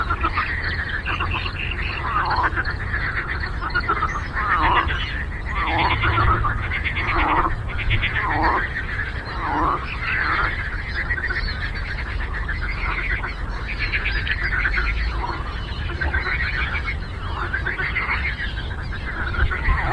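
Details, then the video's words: On a lake, a massed frog chorus keeps up an unbroken stream of buzzy, pulsing croaks from numerous callers at once for the whole stretch, backed by a low, steady hum. "Frog Croaking"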